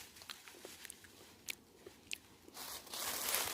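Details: Scattered sharp crunching clicks over a soft background hiss, followed by a loud rustling rush.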